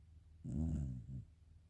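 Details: Black Shiba Inu snoring softly while asleep: one low, rumbling, slightly voiced snore lasting almost a second, followed by a shorter, weaker rumble. The surroundings are otherwise quiet.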